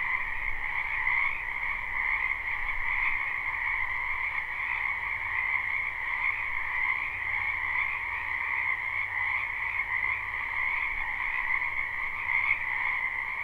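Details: Frogs in large numbers croaking in a springtime wetland behind a home, captured live without looping: constant high-pitched pulsing trills merging into a smooth, even drone with small swells in intensity.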